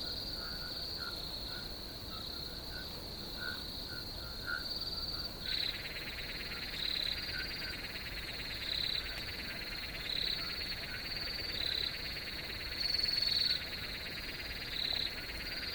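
Several crickets call together, holding a high, ringing note broken by short repeated chirps. A few seconds in, a denser buzzy trill rises beneath them and carries on to the end.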